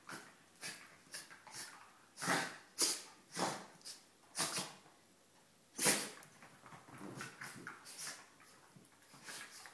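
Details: Pair of Border Terriers play-wrestling; irregular rasping snorts and short growling bursts, some sharp and loud, separated by brief pauses, in a small room.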